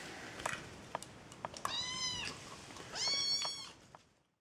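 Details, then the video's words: A kitten vocalizing while eating: soft clicking and smacking noises, then two clear, whiny meows in quick succession, the second louder and higher, fading to quiet. "Kitten makes hilarious sounds while eating"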